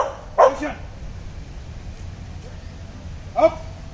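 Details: Labrador Retriever during police dog training: two short, sharp barks about three seconds apart, each a single harmonic burst, over a quiet background.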